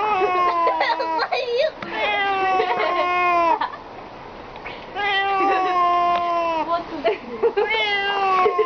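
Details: Domestic cat in a funny-cat compilation, giving long drawn-out yowling meows with rich harmonics. Several sustained calls follow one another, some bending down at the end. Human voices can be heard faintly beneath.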